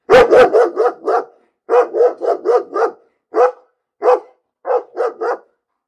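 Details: Dog barking in rapid, excited volleys of short barks. There are clusters of four to five, then single and paired barks, about seventeen in total, with no background noise.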